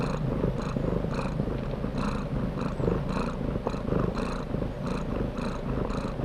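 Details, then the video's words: Loud cat purr, deep rumbling vibration with regular breath cycles about every half second, each marked by a brighter hiss, steady and unbroken. "Cat Purrs"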